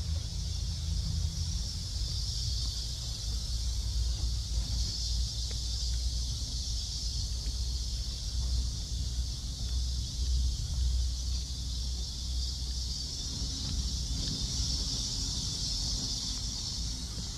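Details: On a July 11 late-morning walk near 11 am in Seoul Innovation Park, cicadas keep up a continuous high sizzling buzz that swells slightly in places, with heavy low wind or traffic rumble beneath.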